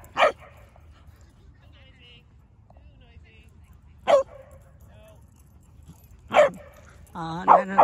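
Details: Dogs gathered to play in a school playground in Vancouver as the leaves change colour; three sharp, separate barks ring out several seconds apart, and a person's voice starts speaking at the very end.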